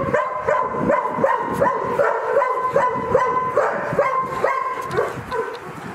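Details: Nooki, a five-year-old male Great Dane cross, lets out a steady run of short, high, ringing barks or yips, roughly two to three each second across six seconds, over faint room noise.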